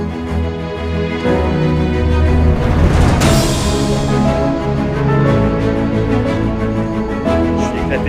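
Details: Theme music with dense low tones fills the recording, and a voice speaks over it. No animal sound can be picked out.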